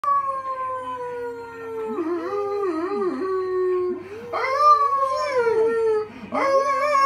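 A golden retriever howls in long, sliding, wavering tones, breaking into rising yelps.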